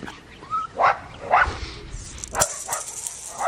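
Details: Blue merle male Australian Shepherd puppy out of Matilda, from an Oklahoma breeder, gives a brief rising whimper followed by three sharp, high yips spaced about half a second to a second apart, with faint handling noise between.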